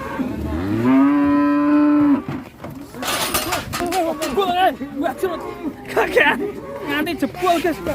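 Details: Cattle rampaging while ploughing, hard enough to break the metal: one loud, steady, low moo held for about a second and a half, followed by rough clattering noises and scattered voices.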